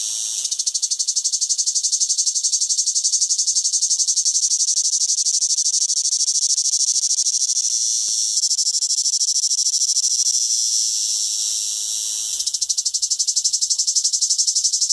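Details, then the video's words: A single cicada in summer producing a sustained, piercing metallic buzz, finely pulsed, easing slightly in loudness toward the twelfth second and then swelling back strongly. "SONIDO DE UNA CHICHARRA - CIGARRA -"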